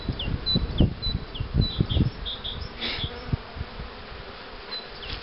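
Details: Honey bees droning at hives prepared for queen bee rearing using the Cupularve system. A low buzz with knocking sounds runs beneath repeated short high chirps of birds in the background.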